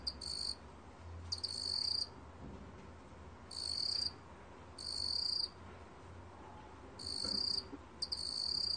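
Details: Meok-gwitturami cricket singing, 2020 national biological resources recording: high, buzzy trilled bursts lasting about half a second to a second, spaced irregularly with gaps of one to two seconds, against a quiet low rumbling background.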